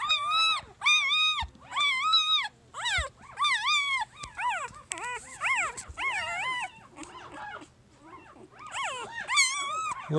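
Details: Three-day-old puppy from Jig's litter, a female, giving loud, high whining squeals in repeated arched bursts, each about half a second long, then shorter, softer whimpers toward the end.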